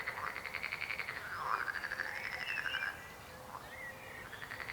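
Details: Frogs croaking: overlapping pulsed, rattling trills at mid pitch run almost without pause, with several callers layered into a steady chorus.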